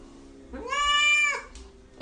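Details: Talkative domestic cat expressing itself, arguing with humans. One long, bright, nasal meow lasting close to a second, rising slightly then falling at the end, followed by quiet and a soft thud.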